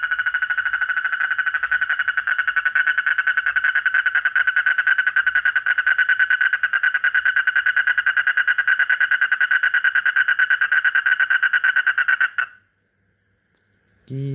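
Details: At midnight, amid a loud frog chorus, a frog very close by gives a loud, unbroken run of fast, rasping, evenly pulsed croaks for about twelve seconds. The calling stops suddenly, and a man's voice follows briefly.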